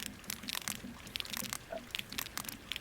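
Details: A sperm whale, seen at the surface, recorded continuously at 150 m depth by a seafloor and water-column ocean observatory station; its clicks are sharp broadband ticks arriving in an irregular series from deep water.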